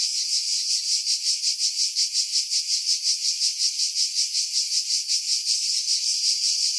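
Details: Greek cicadas calling from pines roughly 50 m above the sea, Pefkos Bay, Skiros, in July 2018; intense high-pitched rattling drone with steady rhythmic swells around 2.7 per second.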